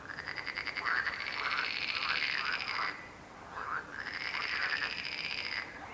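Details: Croaking frogs in two long rattling bursts of about three and two seconds, each a rapid train of pulses, with a brief quieter gap of scattered single croaks between them.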